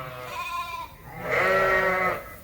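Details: Suffolk lambs in a barn at Ewetopia Farms, mixed into one group after a gate was left open; two drawn-out harmonic bleats, the second louder and higher, over low background hum.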